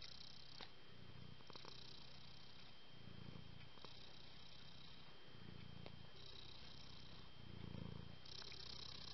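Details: Cat purring, the low rumble swelling and fading in phases every two to three seconds, with occasional faint clicks over a steady background hiss.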